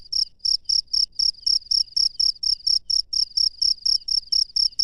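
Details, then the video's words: Night-time cricket in the wild giving crisp, high-pitched chirps in a regular pulse, roughly four per second, each note clipped and bright over a quiet, faintly rumbling background. "SUARA JANGKRIK LANGSUNG DARI ALAM LIAR DI MALAM HARI"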